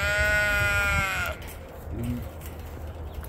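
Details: Domestic sheep on a homestead as snow starts to melt, about to be loaded; one loud, drawn-out, strongly harmonic bleat lasting over a second, then quiet low farmyard rumble.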